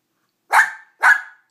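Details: Dog barking because it wants another dog's rawhide bone: two sharp, short barks about half a second apart, each loud and quickly fading, with silence around them.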